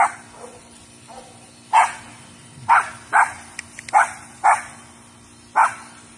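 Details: Yorkshire Terrier barking while chasing a deer: a rapid run of six sharp, high yaps, some in quick pairs, over a faint constant hum.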